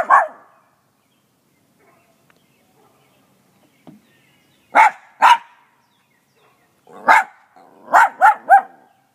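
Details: Loud, sharp barking from a small dog with a big voice: one bark, a long pause with a faint sound, then a pair of barks and a fast closing run of four.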